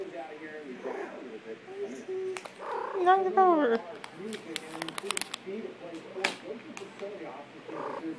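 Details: A pet cat named Trixie, shown with Reese's cups, gives one arching meow that rises and then falls, with strong harmonics, partway through. Human speech and light clattering run throughout.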